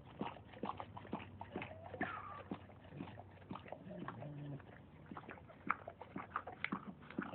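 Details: A dog giving birth to puppies, letting out a brief falling whine among soft irregular snuffling and panting noises, with a low steady hum underneath.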